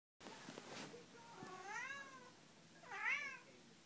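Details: Domestic cat indoors giving two meows: a long, gently arching first call, then a shorter, brighter meow that rises and falls, over a quiet room background.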